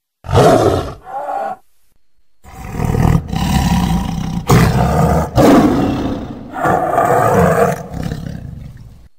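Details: A tigress gives deep, rasping roars in a series of loud, drawn-out bursts.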